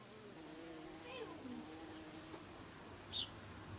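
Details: Bees flying close by, their buzz wavering and sliding up and down in pitch as they move, with a short higher chirp-like sound near the end.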